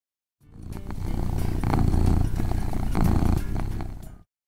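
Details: A domestic cat purrs, a low, steady rumbling vibration pulsing several times a second, thought to express happiness and contentment.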